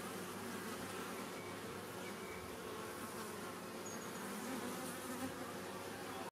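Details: A newly captured Western honey bee (Apis mellifera) swarm gives a dense, steady hum while settling into its beehive about an hour after capture.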